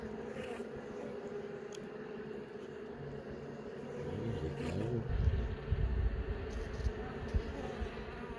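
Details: Honey bee colony buzzing in a hive being inspected while young bees emerge from brood cells; an even, droning hum runs throughout, joined midway by deep rumbling thuds from handling the frames.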